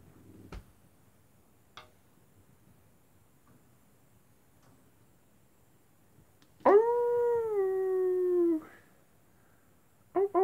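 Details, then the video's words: Wolves at night: after a long quiet stretch with a few faint clicks, one steady, slightly falling howl lasts about two seconds, then a brief sound at the very end. "wolves at night time"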